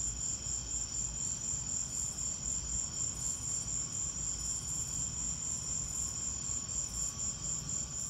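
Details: Crickets calling during a lightning storm: steady, fast, high-pitched pulsing chirps, with a low background rumble beneath.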